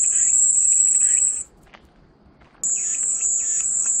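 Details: Shrill cicada buzz that cuts off abruptly after about a second and a half, leaves a short near-silent gap, then starts again at full strength, with faint chirps under the sound, offered as calming white noise.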